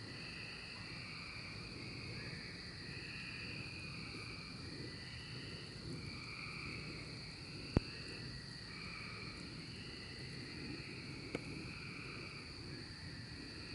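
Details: Chorus of cicadas in the 2024 emergence: a constant high buzz with many overlapping lower droning phrases, each swelling and fading over one to two seconds, and two sharp clicks.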